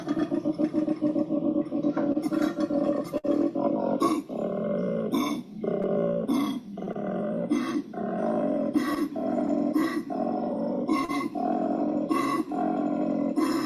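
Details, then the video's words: A male koala bellows in deep, rasping, snore-like pulses, a call that attracts females. "All right. So, that is just such a crazy sound to me, but the lady koalas love it."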